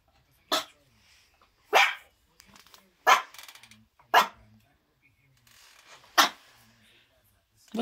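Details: Miniature Schnauzer puppy indoors barking at nothing: five short, sharp, high barks spaced about one to one and a half seconds apart, with a woman's voice softly speaking between them.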